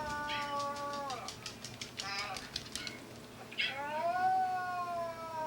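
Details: Older dog howling back at the younger dog's cry, in a home where a Yorkshire terrier and a Maltese live together. Tonal, harmonic wails: one slides downward near the first second, then a long rising howl levels off, with short yelps between.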